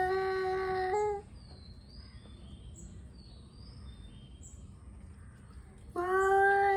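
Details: Angry male cats warming up for a fight: a one-second loud yowl, a quiet stretch filled with faint bird chirps, then another loud yowl starting abruptly near the end.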